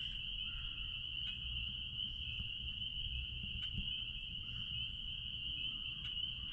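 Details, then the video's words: Spring peepers calling at a blueberry farm, their massed high peeps merging into a clear, constant shrill tone. Light low background noise and a few soft clicks. "Peepers sounds out back at Blueberry farm"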